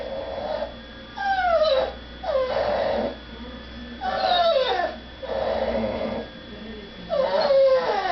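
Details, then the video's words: Dog crying while kept from begging at the dinner table as people eat in another room, indoors; high whines slide downward in pitch, five drawn-out bursts of about a second each with short quiet gaps. "My dog makes funny noises."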